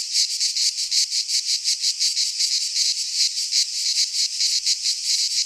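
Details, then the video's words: Midsummer chorus of cicadas in a pine forest in Greece, a harsh, high, shimmering drone throbbing in quick regular surges, roughly three beats each second, with nothing else audible. "Cicadas singing in midsummer - Nature sounds from the Greek fauna - Sounds of cicadas"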